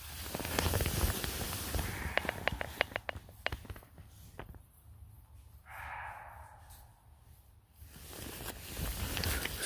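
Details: A deer gives a single harsh, drawn-out scream in dark woods at night near Frankfurt, Germany, after a run of rustling footsteps; a wild boar was possibly snuffling nearby.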